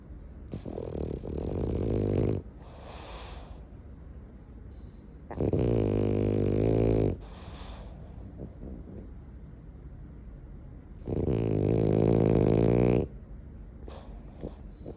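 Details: French Bulldog sleeping and snoring loudly: long rasping, rumbling snores lasting about two seconds each, with harsh buzzing texture, recurring roughly every five seconds, with quieter wheezy breathing between them.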